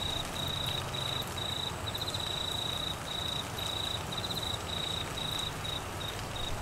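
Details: Crickets calling during monsoon rain in Queensland, northern Australia: a thin, high steady trill broken into regular pulsed bursts about every half second, over a constant hiss of heavy rainfall.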